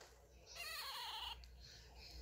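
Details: Female Chihuahua named Kkami, 1.7 kg, born 2018, whining to ask for what she wants and protest at her doll being taken; one short, quavering, nasal whine under a second long, its pitch wobbling up and down, then quiet.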